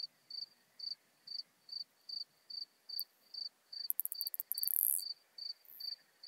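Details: Isophya modesta, the Modest Plump Bush-cricket, singing at Marz, Austria, 13 June 2020, via ultrasound detector; regular short chirps roughly every half second, briefly overlapped by a louder rustling burst midway.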